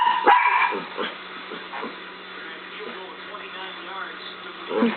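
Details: A dog named Scarlet barks at a laser pen: one strong bark at the start, then softer yips and whimpery sounds at irregular intervals, with human speech and a low electrical hum throughout.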